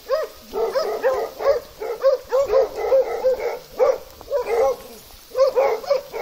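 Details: A Plott hound gives quick runs of tonal, yelping barks, each a short rising-and-falling note, recorded in Russia alongside an American foxhound.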